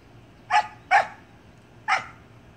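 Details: Samoyed puppy playing in a pool with its siblings: three short, sharp, high yipping barks, the first two about half a second apart and the third following after a one-second pause, over quiet background.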